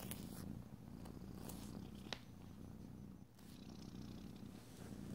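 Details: Domestic cat purring steadily indoors: a continuous low, rumbling throb that fills the whole stretch, with a few faint scratchy ticks and soft rustles in the background.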